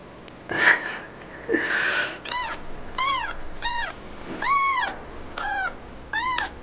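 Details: A male kitten that quiets only when touched cries in a small room, giving a rapid series of about eight arched, harmonic-rich meows roughly every half second, preceded by rustling and breathy noises.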